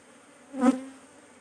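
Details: Honey bee at a hive while a beekeeper handles and removes queen cells; one close buzz swells and fades within about a third of a second, a low droning tone with stacked overtones against a quiet background.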